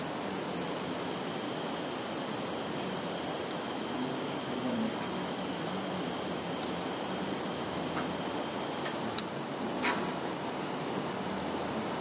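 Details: Insects calling in a field in Zhukovsky district, Kaluga region, Russia, on 11 September 2019, recorded on a Samsung Galaxy phone: a steady, unbroken high shrill in two bands over a hiss, with a few faint clicks near the end.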